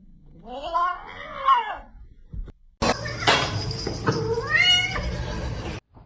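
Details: Kitten crying with a series of wavering, arched meows in the first two seconds. Loud, noisy indoor commotion follows, with a rising, drawn-out cry near the end.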